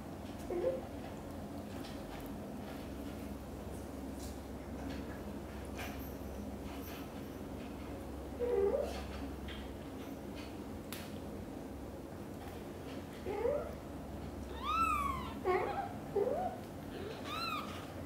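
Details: British Shorthair kitten Cream's first trip out of the nest, mother cat Xaxa nervously trailing her; mostly quiet hum and light shuffling, then a run of high, arching kitten meows clustered toward the end.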